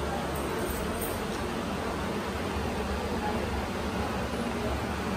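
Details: A steady, broadband hiss like a fan or air conditioner fills the room without pause, and no animal call stands out.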